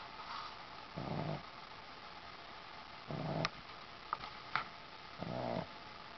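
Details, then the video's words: A Boston Terrier snores while sleeping on a sheepskin, with low rumbling breaths repeating about every two seconds. "dog snores by ziggi, a boston terrier"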